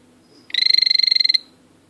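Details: Male azureus blue poison dart frog calling, a short high-pitched buzzing trill of about twenty rapid even pulses lasting roughly one second, over a quiet background.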